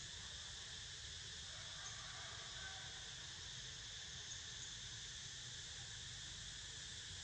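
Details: A cicada chorus fills the air as Niko dozes: an unvarying high, layered buzzing drone lasting throughout with no rhythm or pauses, a low background rumble underneath.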